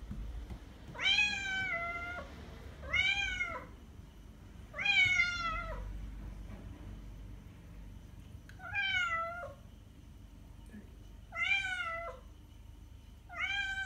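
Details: Repeated meows of a domestic cat, played to lure cats: six short, bright, harmonic calls that rise then fall, spaced about two seconds apart, over a low background hum.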